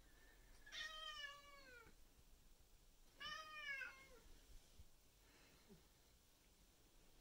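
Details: Two male cats fighting, one black and white, the other white and ginger: two drawn-out, descending, wavering yowls about two seconds apart, each around a second long, fairly distant, then a fainter third cry.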